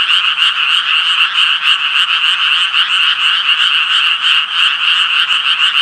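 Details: Dense calling of Japanese tree frogs: rapid, regular rasping croaks, about three per second, merging into an unbroken high trill throughout.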